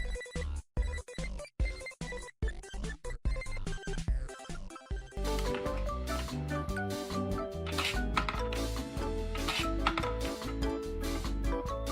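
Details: Upbeat music with a steady beat and rhythmic percussion, with a brief silence-broken pattern at the start before it plays continuously.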